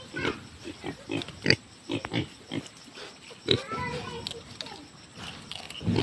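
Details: Native pigs kept by growers grunt in low, broadband pulses about every two seconds, with some faint tonal squeaks in between and people talking nearby.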